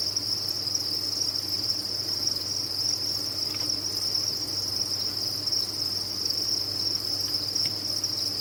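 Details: Many crickets kept on a cricket farm, calling together in a dense, steady, high-pitched shimmering chorus that never pauses, with a faint low hum underneath.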